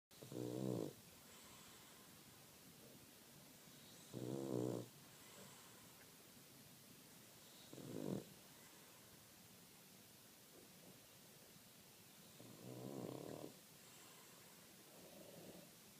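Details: Two Boston Terriers snoring loudly while asleep: rough rasping snores of under a second each, at about four-second intervals, with soft breathing between and a faint room hiss.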